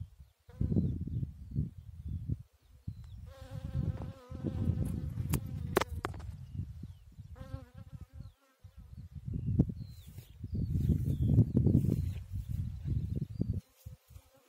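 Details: Bee working a chicory flower, its humming wing buzz rising for roughly three seconds, with a shorter hum returning near the end, while gusty low wind noise and a few sharp clicks run throughout.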